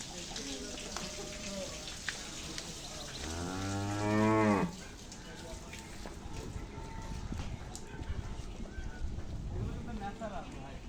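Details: Cattle at a Shahjadpur upazila farm before Eid al-Adha, where a calf is present: one low, rich moo of about a second and a half, rising slightly in strength before stopping abruptly, amid steady barn noise and faint voices.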